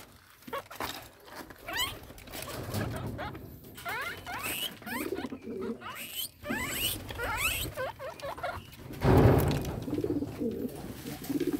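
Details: A pet guinea pig eating its favourite fodder, cassava leaves, gives quick, high, upward-sliding squeaks over soft munching and rustling.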